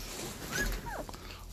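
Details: A single short whine from a seventeen-day-old puppy slides quickly downward, heard over faint room noise and low murmuring.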